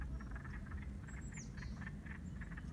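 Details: In spring in Alaska, a chorus of wood frogs by a lake, newly out of frozen slumber, gives short, duck-like clucking mating croaks that overlap in quick bursts.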